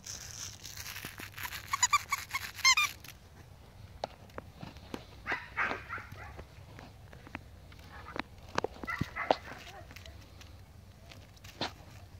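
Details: Five-week-old Pomsky puppies playing with a five-week-old Husky puppy: high, thin squeaky yelps in a quick burst early on, then scattered short whiny cries among bumps, scuffling and footsteps.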